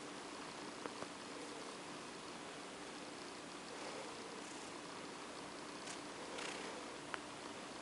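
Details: OCD Cat, a female cat, purring softly as she is petted toward sleep; a faint, unbroken purr mixes with light rustling and a couple of small clicks.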